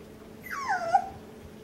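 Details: One puppy on a puppy cam, among litter-mates given overhead obstacles and things to climb on, lets out a single drawn-out whine that starts high, slides down and wavers, then rises slightly at the end, over a faint steady hum.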